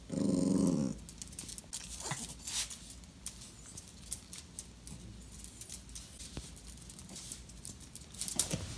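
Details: Dachshund at home wanting attention gives a short, moaning harmonic whine in the first second, then falls quiet amid light tapping, shuffling and small clicks indoors.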